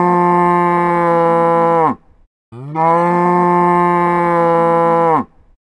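A cow gives two long, steady moos, each lasting about two seconds with a brief pause between.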